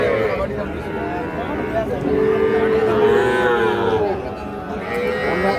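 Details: Cattle lowing at Ambari cattle market in Dinajpur district, among young bulls and heifer calves for sale; a drawn-out moo of about two seconds in the middle, surrounded by constant crowd chatter and market bustle.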